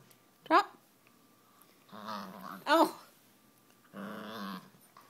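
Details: A 10-month-old Miniature Pinscher rescue pup, small but tough, growling indoors: low rumbling growls in two stretches, with a couple of short sharp higher yelps or squeaky noises between them.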